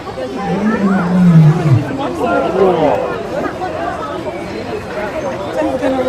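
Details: A male lion at a show gives a funny, deep, falling moan lasting about a second, drawing chatter and laughter from the audience; he then goes to sleep.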